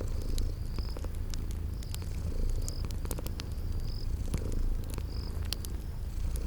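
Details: Deep continuous purring from sleeping kitties, rising and easing in gentle waves, under sharp fire crackles and brief high-pitched chirps recurring roughly every second, set in a cozy spring garden ambience.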